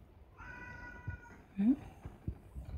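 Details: Cat during a cat fight: one steady, harmonic, meow-like tone held for about a second, then a short low squeak sliding upward, with soft thumps and room noise around it.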